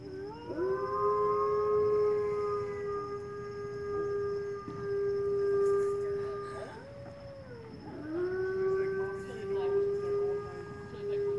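Timber wolves give long, steady howls that slide up at the start and hold a level, mournful pitch.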